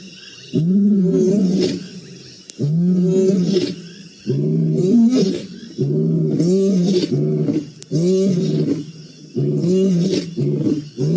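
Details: Lions roaring in the Maasai Mara on 7 November 2017: a series of deep, moaning grunts repeated roughly every one and a half seconds, about six strong bursts, rich and low-pitched with layered harmonics, outdoors with little other sound.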